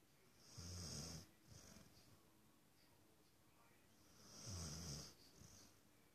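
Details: A male Rottweiler-Beagle mix sleeping and dreaming on the couch snores in slow, rumbling breaths about four seconds apart.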